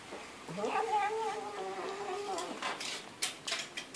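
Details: A pet cat's human-like talking meow. One long call rises sharply at the start, then holds a steady, slightly wavering tone for about two seconds before dropping away. Faint clicks and rustles follow.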